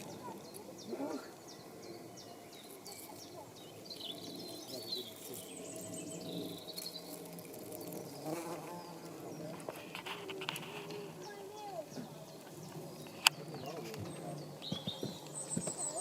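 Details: Saxon wasp (Dolichovespula saxonica) at a small four-day-old paper nest it is building, Midhurst, West Sussex, 19 April 2015; low droning wing hum swells through the middle seconds, with scattered clicks and faint background noise.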